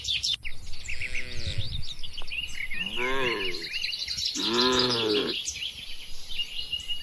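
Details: A herd of cattle roams and grazes in an open rural field. Three drawn-out, harmonic moos sound in quick succession, each lasting under a second, while small birds chirp and twitter steadily in the background.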